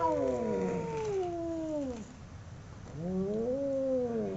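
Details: Two domestic cats fighting: long drawn-out howls that slide downward, pause, then rise again into a wavering, nasal wail with rich harmonics.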